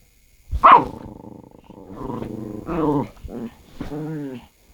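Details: Odd vocalizing from a pet dog, one of a pair named Norang-i (large) and Bori (small): a sharp yelp opens a drawn-out, tonal, groaning moan, followed by shorter wavering, talk-like growls.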